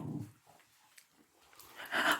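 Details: A pet dog protests indoors while its owner eats ice cream: a short, bright, whiny yelp bursts out near the end, after quiet stretches and soft human speech in a small room.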